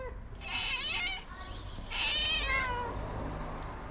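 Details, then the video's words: Street tabby cat meowing loudly to call other cats for food; two long, strained, wavering meows with a brief pause between them, recorded close against faint low background noise. "A Very Cute Tabby Cat Meowing Loudly In Order To Summon Other Cats For Food."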